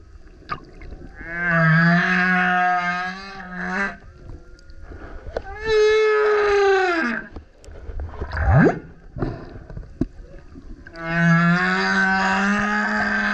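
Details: Humpback whale male singing close to a kayak: long steady tonal howls lasting several seconds, a falling moan, a sharp rising whoop and burp-like pulses between phrases.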